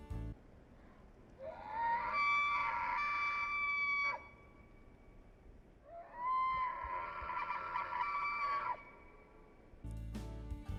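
A bull wapiti bugles twice, a high whistled call that rises, holds, then breaks off.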